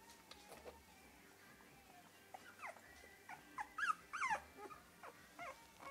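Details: Three-week-old English Cocker Spaniel puppies whining, with a few faint squeaks followed by louder wavering, up-and-down whimpers bunched in the middle and a last short cry.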